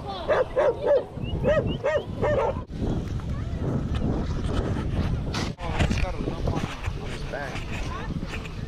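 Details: Off-leash dogs approaching a male on a Lake Nacimiento walk give a quick run of about six clipped barks, then fall quiet as human voices and rustling outdoor noise take over.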